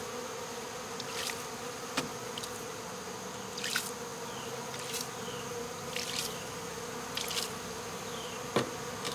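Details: Honey bee swarm being removed from local baseball fields on 12 August 2014, bees fanning at the entrance to call others in; steady droning hum with sharp clicks and short bursts, plus faint falling chirps in the background.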